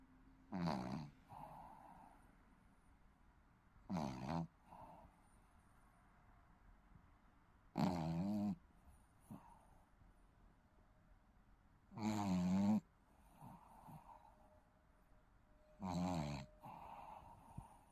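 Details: Sleeping Shih Tzu puppy snoring: five deep, rough, buzzy snores, each about half a second long, coming roughly every four seconds, with quiet breathing between them.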